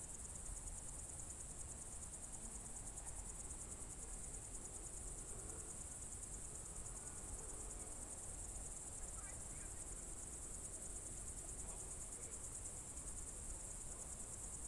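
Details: Evening cricket chorus recorded in June 2023 at the Novye Buregi tract, Novgorod Oblast: an unbroken shrill, finely pulsed trill holds constant over soft low rumbling background and a few faint scattered chirps.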